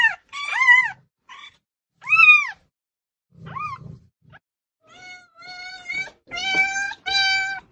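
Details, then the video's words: Cats meowing loudly for attention: a few arched, rising-falling meows with pauses, then a run of flat, steady, strongly harmonic cries in the last seconds. "SOM DE GATO MIANDO ALTO | Gatos miando para chamar atenção"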